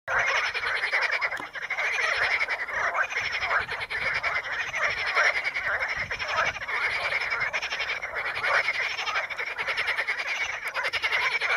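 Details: A dense chorus of frogs in the Ispani mires, among curled pondweed (Potamogeton crispus), makes countless overlapping rasping croaks that merge into a steady, crackling roar.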